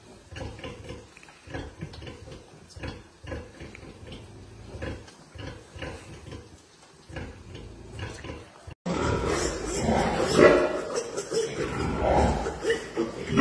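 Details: Rapid rhythmic grunting from a Pietrain pig, about two short grunts per second, followed by a louder, noisier stretch with rough, broad grunts and rustling.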